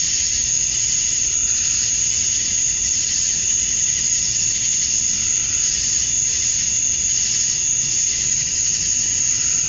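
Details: A dense cicada chorus outdoors at summer dusk in Georgia, USA, where males call to attract females: one constant high shrill tone layered over a gently throbbing buzz that never pauses.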